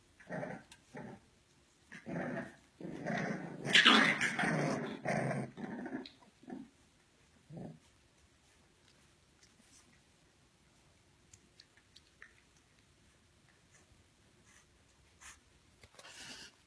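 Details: English Bulldog puppies growling indoors, a run of harsh, rasping growls building to a loud sustained snarl around four seconds, then quieter brief grunts and near silence afterwards.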